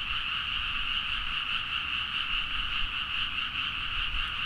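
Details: Rice-paddy frogs chorusing late at night near Nagaoka in Niigata, Japan, on a Zoom H4n: a thick, steady mass of fast pulsed croaking, gently swelling and easing, with light low-frequency noise.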